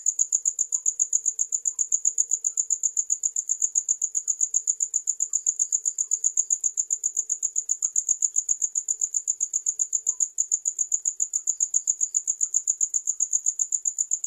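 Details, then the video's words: Continuous cricket chirp: a sharp, high metallic pulse repeated roughly four times each second, very regular throughout, over a quiet background with only a faint low hum. "Sound of Crickets"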